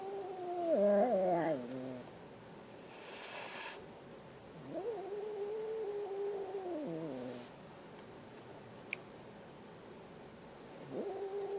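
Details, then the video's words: A frightened kitten gives a short wavering cry, then a long steady yowl of several seconds that drops at the end. A faint start of another cry follows after a hushed pause. "Scared kitten"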